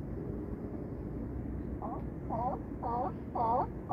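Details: California sea lions bark at Crescent City harbor, Battery Point lighthouse in the distance: a quickening series of hoarse, honking barks over a low rumble of harbor noise.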